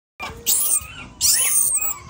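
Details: A baby monkey that cannot get up gives two shrill, wavering cries, high and strained, one after the other.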